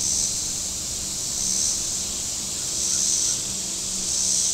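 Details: Shore cicadas at Table Rock Lake in southern Missouri on a hot day, their high sizzling drone pulsing in slow waves every second or so, over a soft low rumble of boating on the water.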